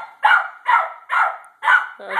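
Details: Redbone Coonhounds, two of them, playing; four loud, full barks evenly repeated about every half second, with a person's voice at the very end.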